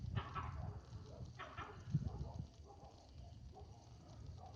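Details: A monkey disturbed at night barks a warning: two abrupt, gruff, loud bursts, then softer, hoarse calls over a low background rumble.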